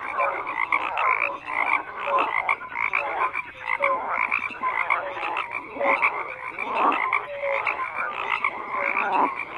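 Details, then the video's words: Dense croaking from numerous frogs, raspy bursts swelling and fading every second or two, with occasional bright short notes above the mass. "FROGS CROAKING"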